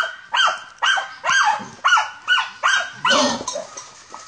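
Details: German Hunting Terrier barking while hunting wild boar: sharp, harmonic barks repeated about twice a second, each a short rising-then-falling burst, with a man's voice briefly heard nearby.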